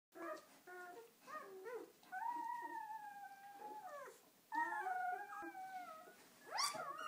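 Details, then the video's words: Newborn purebred German Shepherd puppies on their first day, from a litter of ten, five males and five females. High wavering whines and squeals rise and fall, several pups overlapping in a small indoor space. "German Shepherd puppies"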